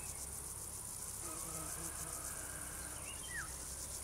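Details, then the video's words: Crickets produce a steady, high, rapidly pulsing chorus, with a brief swooping chirp from another animal near the end and a low background rumble. "singing crickets"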